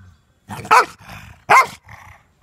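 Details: Tyson, an angry German Shepherd refusing to let anyone take his ball, gives two sharp explosive barks about a second apart, each followed by a low rumbling growl.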